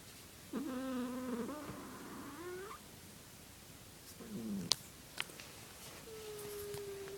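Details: Cat making weird noises: a drawn-out harmonic wail that wavers and then rises, a short low call, a few sharp clicks, then a steady held tone near the end. Quiet recording with background hiss.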